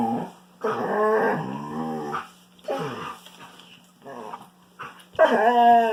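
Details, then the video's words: Wolfdog at play with a Kangal puppy, giving loud, wavering growl-whines with strong tonal overtones that rise and bend, in several long drawn-out bursts with brief pauses between them. "Strange Wolfdog Noises"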